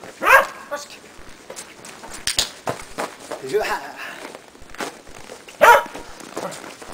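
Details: Shetland Sheepdog named Preston during agility training on a box with a jump grid, a running contacts foundation exercise; two sharp barks, one near the start and one near the end, amid speech and footsteps.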